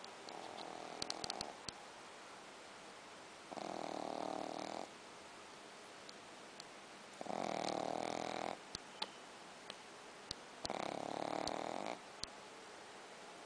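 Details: Shih Tzu named Logan snoring indoors: three broad, rasping inhalations, each lasting over a second, spaced several seconds apart, with quiet pauses and faint clicks between.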